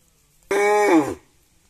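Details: A village house cow mooing while eating gives one short, loud moo of under a second, a steady harmonic tone that drops at the end and cuts off cleanly against a quiet background.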